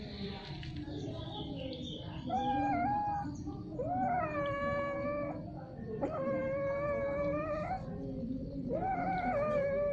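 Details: Mating domestic cats giving strange yowling sounds again and again: several long, nasal, wavering wails in a row, some bending upward at the start, with low rumbling growls underneath throughout.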